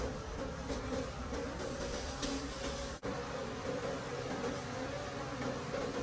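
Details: Wild bees around rich dark honeycombs deep in a forest: a constant buzzing drone, briefly cut by a short dropout about halfway, with light crackling noise.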